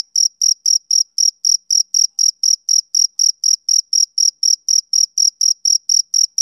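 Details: Male cricket chirping on a summer evening: high, shrill pulses repeated steadily about four times a second, each a short bright burst with a faint higher overtone, against a silent background.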